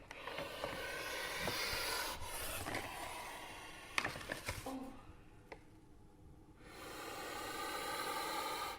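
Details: A captive puff adder in a UK venom unit gives loud, breathy, alarming hissing puffs in rough bursts as its cage is opened and a microphone on a pole is brought close, with a handling clatter.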